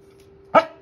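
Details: Corgi giving a single short, sharp bark that rises and quickly fades, standing alone against a steady low electrical hum.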